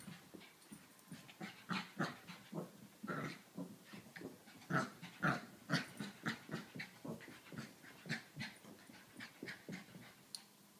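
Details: Seven-month-old female Pekingese puppy chasing her tail: quick rough panting and snuffling huffs, about two a second, uneven in strength, with a few louder grunting bursts near the middle.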